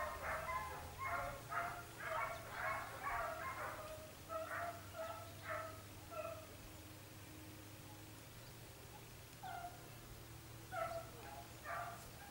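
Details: Hare-hunting Italian hound Sofiko in Evros, Greece, 22 October 2023, yelping in rapid ringing bursts that thin out and fade into quiet, then return as a few distant yelps near the end.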